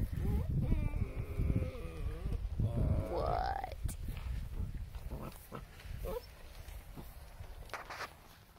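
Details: German Shepherd puppies play wrestling, with loud wavering whines and growly yelps over the first three seconds, then a rising squeal, followed by scuffling, thumps and quieter rustling.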